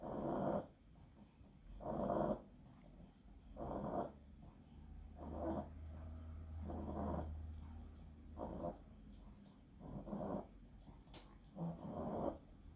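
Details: Pug enduring an epileptic seizure caused by encephalitis, giving harsh snore-like breaths roughly every one and a half seconds, with a low steady hum beneath the middle stretch.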